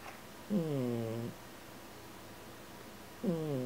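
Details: Heloise, the smallest cat in the house and its loudest snorer, sleeping indoors; two harmonic, slightly falling snoring breaths about two and a half seconds apart against a quiet room background.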